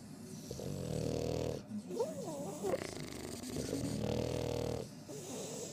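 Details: French Bulldog snoring with raspy, snorting breaths, a wavering whistled squeak midway, and quiet voices in the background.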